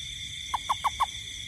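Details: During nighttime rain in a garden, a toad gives four short, low, knocking notes in quick succession, evenly spaced. A constant high-pitched insect hum fills the background.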